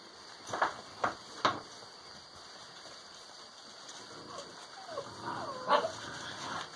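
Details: Kennel-raised Alano Español pups aged six weeks at play, showing developing social behaviour; three quick sharp barks, a pause, then higher whiny yelps and a squeal.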